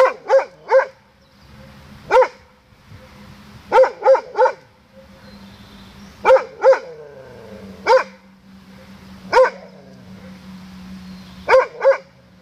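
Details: Recorded 16 May 2016 at 07:18, a Doberman barks to its echo: roughly a dozen harsh barks in singles, pairs and triples at irregular intervals over a steady low background hum.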